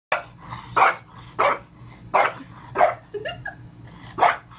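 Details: French Bulldog barking while reacting to a rocking horse it dislikes: five or six sharp, harsh barks in about four seconds, roughly one every 0.7 seconds with a short pause before the last, plus a faint low rumble underneath.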